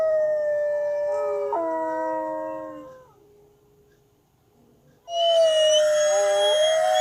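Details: A single wolf's long, steady howl holds one pitch and then drops slightly in a step. A quiet pause follows before a loud, rich new howl bursts in with many overtones.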